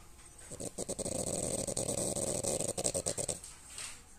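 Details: French Bulldog asleep, giving a harsh, fluttering snore of fast rattling pulses lasting nearly three seconds before easing into a quieter breath.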